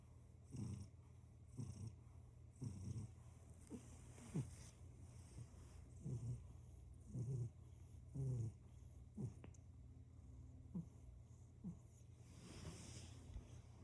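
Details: Purring house cat: a deep rumble rising and falling with breathing about once a second, ending in a softer, breathier stretch.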